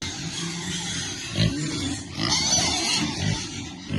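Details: Piglets that like cool water give short, low grunts, with a brief louder squeal partway through, over a steady wash of water noise.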